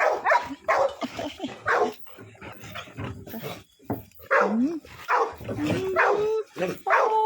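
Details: Cake, an American Pit Bull Terrier, barks in quick clusters mixed with high, sliding whines, pausing briefly midway, then resuming with rising and falling whimpering yelps; faint human voice in the background.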